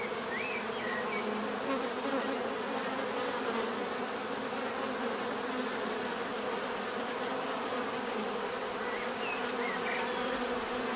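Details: Bees hum together in an unbroken, rich drone, steady in loudness, with a faint high whine and a couple of tiny chirps early and late.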